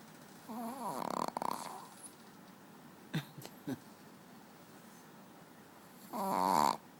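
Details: Pet dog Manja snoring asleep on a bed; a rattling snore, a few short snorts or clicks in the middle, then another buzzing snore near the end, all indoors.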